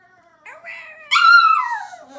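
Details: A pet dog in his cage making weird screaming noises: a thin, wavering whine that slides upward, then a loud, harsh, high scream that falls away, ending in a low murmur.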